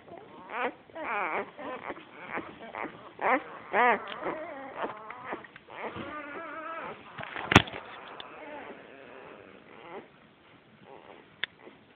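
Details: A litter of seven Australian Shepherd puppies, born 12 August 2010, gives high, wavering whines and yelps in short overlapping bursts.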